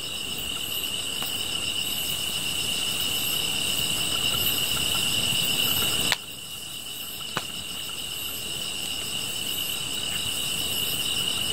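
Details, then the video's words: Grass insects keep up a level, shrill ringing drone with fast rhythmic chirps layered higher, beside a fire whose loud snaps punctuate the middle, after which the chorus continues slightly softer. "풀벌레 소리"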